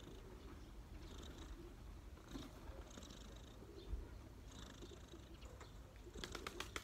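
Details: Street cat relaxing on a person's knees, purring softly; a low continuous rumble under light background noise, with brief clicking sounds near the end.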